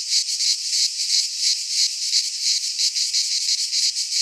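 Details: Greek pine forest cicadas in midsummer, their high rasping drone throbbing steadily in quick regular pulses, close and unbroken throughout.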